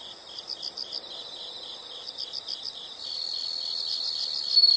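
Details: Insect chirping: short groups of high pulsed notes repeat, then a steady shrill continuous trill starts and grows louder toward the end.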